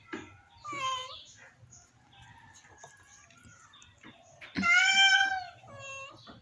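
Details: ['Domestic cat, very ill, lets out a short cry early on and then a strong, harmonically rich meow that swells and falls, with quiet household noise between.']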